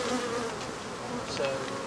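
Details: Swarm of African honey bees humming during removal of their hive, with a steady droning tone and faint background noise.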